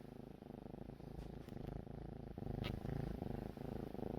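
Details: Kitten snoring at dawn, loud enough to wake someone up. Its rattling, rumbling snore pulses in a steady rhythm about two or three times per second, with a brief click near the middle.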